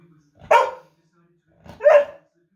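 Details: A male dog in the United Kingdom, barking at his own reflection in a mirror, gives two sharp, separate barks about a second and a half apart.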